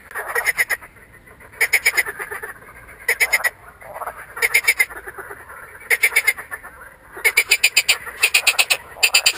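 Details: Marsh frog (Pelophylax ridibundus) calling with inflated vocal sacs, recorded 2 June 2013; rattling croaks made of rapid pulse trains, each burst about a second long, repeating irregularly every one to two seconds over quiet background.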